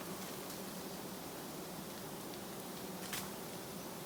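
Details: Giant honey bees from a colony settled low along a roadside, disturbed for their honey, produce an even, sustained hum with a soft overtone band and one brief rustle toward the end.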